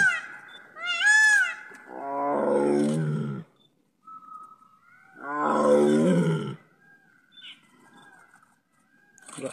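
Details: In Ranthambhore, India, on a jungle safari, a tiger lets out two deep, rough, rasping roars a few seconds apart, each swelling to a full growl and fading over about a second; faint voices and a thin steady whine in the background.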